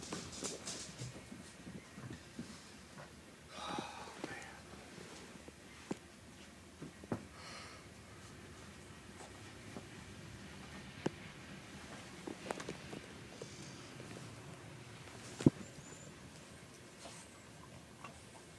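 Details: Boston Terrier in a reverse sneezing fit, a brachycephalic breathing spasm: quiet, rough snorting inhalations in irregular bursts, strongest near the start and around four and seven seconds, with a person speaking softly and a few sharp clicks.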